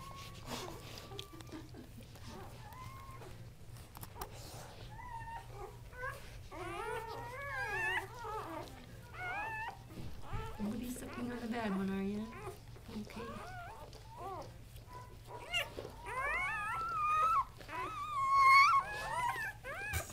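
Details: Three newborn male Casablanca Kuvasz puppies, born October 30, 2008, squeal and whimper in wavering, rising-and-falling cries. They grow louder and more crowded toward the end, with one short low grunt midway and a constant low hum beneath.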